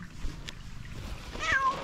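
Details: A beautiful fluffy calico cat, meowing in a cute voice when it sees a person, gives one brief high meow that slides downward at the end, after a soft tap and faint background hum.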